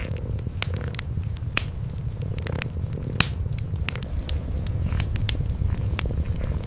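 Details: By a crackling fireplace, a cream kitten and mother cat sleep close together, their purring a constant low vibrating drone, punctuated by frequent bright pops of burning wood.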